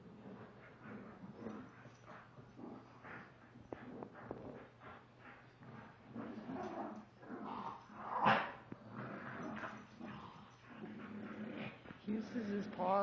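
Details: A 32 lb male Shiba Inu and a 23 lb female Chinese Pug play-fighting and playing tug of war indoors: snorting growls, scuffling, short yips and a sharp bark, with irregular squeaky whines near the end.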